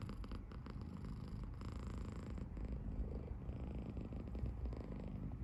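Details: Seven-month-old male British Shorthair kitten named Potty, kept indoors in Tokyo, making a happy snore-like purr: a deep, continuous rumble with rhythmic pulsing in the low register and no other sounds.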